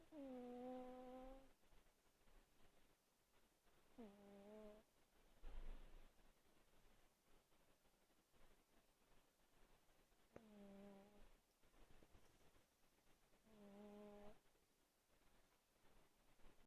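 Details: Pet cat snoring loudly while asleep in a quiet room; four drawn-out, nasal, whistling snores, each over a second long, separated by several seconds of soft breathing.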